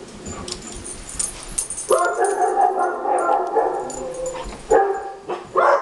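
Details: Pet dogs in a house under construction answer a recording of barking dogs; after scattered clicks and noise, a long sustained harmonic howl-like call begins, followed by short barks near the end.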